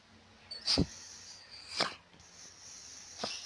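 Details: Pug in a compilation of funny dog clips; three sharp, breathy sneeze-like bursts spaced about a second apart, the first loudest, against a quiet indoor background.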